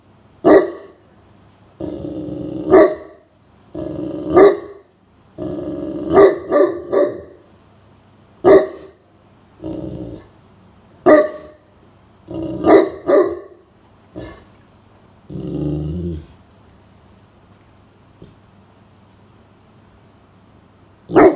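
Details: Great Pyrenees named Blanche, a giant house dog, guarding the home from a cool room during a hot midsummer afternoon above 30°C as a stranger approaches; deep repeated barks in bursts, some with growly tails, pauses between volleys.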